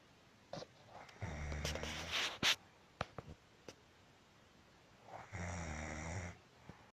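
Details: Pet cat Marusya asleep and snoring: one low rasping snore early, then a cluster of clicks and rustling noises, then another drawn-out rumbling snore near the end, indoors.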